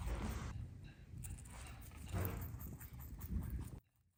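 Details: Pet rabbits munching greens, veggies, grasses and flowers; irregular crunchy chewing clicks and rustles over a low rumbling background, cutting off abruptly near the end.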